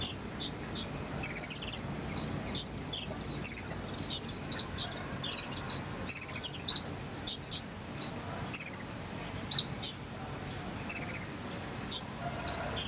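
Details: High-pitched cricket chirping meant as tutoring material for a singing konin bird: a long, steady series of sharp chirps and short pulsed bursts, repeated roughly every half second to second with little gap, over faint hiss.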